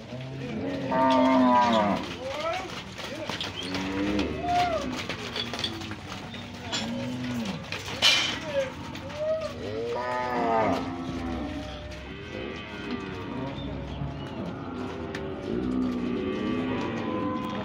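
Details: Twenty bulls at a livestock auction at Leilão Aprazível auction house, Monte Aprazível, São Paulo, on 30 January 2021, mooing in overlapping, drawn-out low calls that repeat throughout, with a noisy crowd and murmured background sounds.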